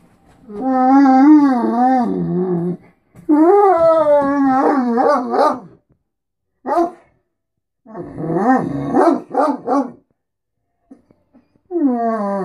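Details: A Great Dane 'talks' in long, wavering, moaning whines that bend up and down like speech, as he does every morning when he wants to be fed and wants attention.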